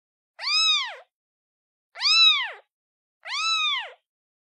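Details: Calling its mother, a kitten repeats three strong harmonic meows at intervals of roughly one and a half seconds, each shaped as a rising then falling arc, in a quiet setting.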